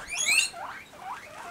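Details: Pet guinea pigs squeal shortly before being fed, a bright, high whistled burst followed by two shorter upward sweeps.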